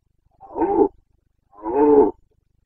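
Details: Bucovina breeding-season roaring (boncănit) by a Carpathian red deer stag, 29 September 2022: a pair of deep, growling half-second bellows with a rising then falling tone, evenly spaced.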